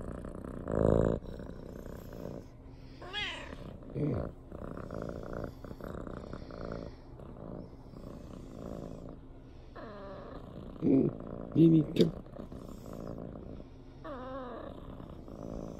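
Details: Lili, a female brown tabby (kiji-tora) house cat, gazes at her owner and gives several short rising-and-falling meows spaced seconds apart over steady low purring, with bursts of human voice indoors.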